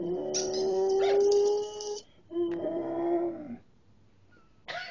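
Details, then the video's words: Samoyed howling at another Samoyed: a long, steady, wavering tone held for about two seconds, then a shorter second howl after a brief gap, ending with a sudden sharp sound. "Howling at another Samoyed"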